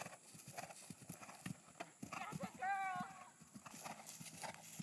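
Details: Percheron mare jumping a 3'9" fence for the first time. Irregular dull hoof thuds sound throughout, and a loud, excited human shout cuts in around the middle.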